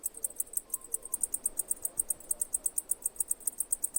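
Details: Cicada chirping: short, very high, dry clicks repeated evenly about five times a second, each pulse sharp and bright, over a quiet background with a faint low hum.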